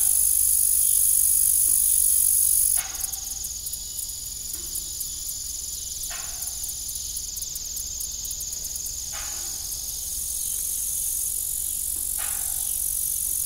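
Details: Crickets sing in the evening around an abandoned farm windmill. Their high, unbroken trilling fills the background while dull knocks and creaks sound roughly every three seconds.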